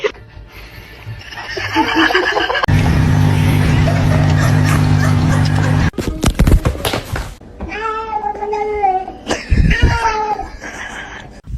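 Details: Kittens in a home setting: after a loud stretch of buzzing noise and music, a run of clear, tonal meows follows, each slightly wavering and falling at the end. Voices and thumps mix in.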